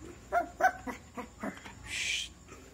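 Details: Shih Tzu puppy giving a few short, soft barks and yips, four or five quick notes spaced about a quarter second apart, followed by a brief hissing noise; a quiet indoor setting.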